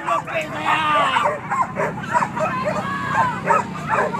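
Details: Hunting dogs on a pig hunt at Kayu Ampek, Tanjung Emas district, Tanah Datar regency, give a dense chorus of overlapping high yelping barks and whines, with a steady low engine-like hum and human voices underneath.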